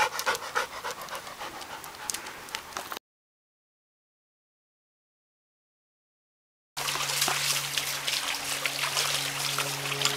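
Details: Max, a dog, playing with his new ball throwing device in August 2008: rapid rhythmic panting, quick breathy puffs several times a second, broken by a gap of silence, then a steady low hum underneath.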